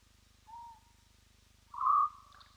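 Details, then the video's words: Spotted hyena whooping at Roy's Dam, picked up by a live wildlife camera: a soft, short tonal hoot, then after a pause a louder, steady whoop that trails off slightly, over a constant low electrical hum. "Spotted Hyena, Whooping as Hyena do"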